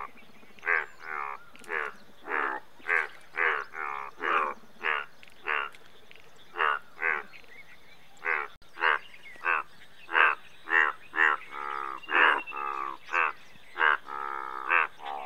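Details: Indian bullfrogs in a dense croaking bout: many short, nasal, harmonic croaks in quick succession, several calls overlapping and varying in loudness, suggesting multiple frogs, over a steady low hum.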